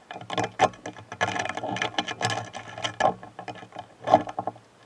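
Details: Stag beetles, kept as pets in Japan, fight a duel, giving dry clicks, scrapes and rattling taps in irregular bursts.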